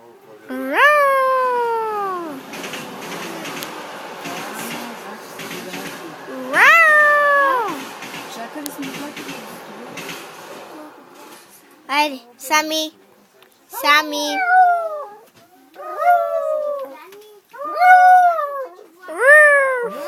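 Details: Dog on a passenger train bound for Varna, singing: long drawn-out notes that rise then slide downward, and later a run of shorter falling wails. People talk and encourage the dog in Bulgarian in the background.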